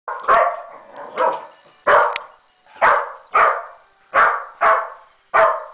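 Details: A Welsh Corgi watching a figure skating competition on TV barks repeatedly at it in sharp, mid-pitched bursts, roughly one every second.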